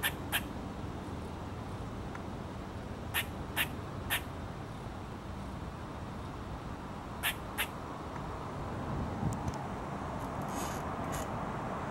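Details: A squirrel gives sharp, sudden alarm-call chips in pairs and singles, spaced irregularly over a low outdoor rumble, while a second squirrel nearby stays unafraid and unbothered.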